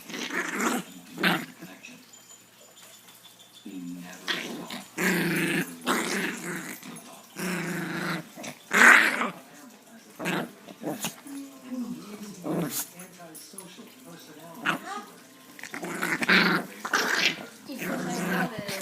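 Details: Chihuahua growling and making angry sounds while playing; bursts of rough, broadband growls and grumbles come in uneven clusters over about nineteen seconds, with short quiet gaps and faint voice in between.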